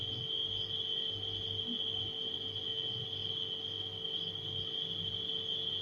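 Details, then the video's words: Crickets at night give a continuous, even, high-pitched trill that never pauses, layered over the low, steady humming of a household refrigerator. "Crickets & Refrigerator Humming Sound"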